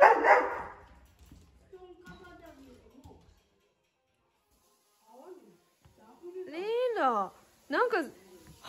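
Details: Doberman Reira, born July 2010, recorded in October 2020 while ill with lung cancer; after opening speech and a quiet gap, a few arched, rising-then-falling whining cries with rich overtones come close together near the end.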